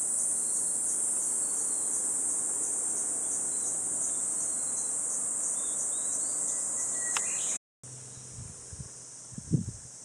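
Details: Cicadas in Gifu Prefectural Centennial Park during a 37°C morning walk in July: an intense, even buzz runs for about seven seconds, then cuts off to a quieter drone with low thumps and footstep-like knocks.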